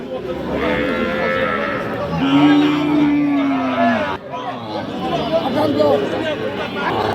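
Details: Sahiwal bull calves at Ambari market in Dinajpur district, Bangladesh, suited for farming; a drawn-out low moo around the middle, with market chatter and people bargaining throughout.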